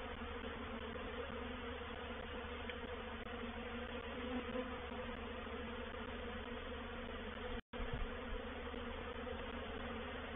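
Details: Swarming honey bees entering a bait hive at Painted Peacock Manor on 04/07/21. A constant massed buzz of wings fills the recording, broken once by a short silent gap before the droning resumes unchanged.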